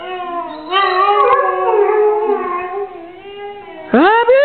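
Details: Pet Saluki singing along to Happy Birthday indoors, a drawn-out wavering howl rising and falling over several seconds, then a sharp rising yelp-like howl at the end, with faint voices beneath.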